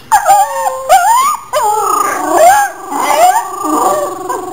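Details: Domestic dog howling and crying each time a second dog whines, a loud chain reaction indoors; wavering, sliding howls that swoop up and down with short yelping breaks, two dogs overlapping.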